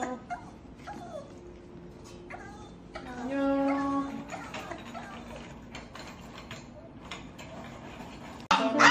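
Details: Dubu, a Maltese dog visited in hospital after cruciate ligament surgery and spay with mammary tumour removal, whines to go home with her owner; drawn-out high harmonic whimpers, loudest midway, with soft human voices and a sharp noise at the end.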